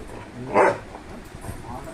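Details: Simba, a pet Labrador Retriever, lets out a single short, gruff bark in the middle of the clip, with people talking quietly around it.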